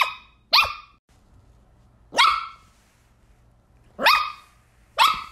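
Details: Shetland Sheepdog barking while chasing a laser: five sharp, high-pitched barks with quick rising onsets, spaced irregularly over about five seconds, with a quiet room in between.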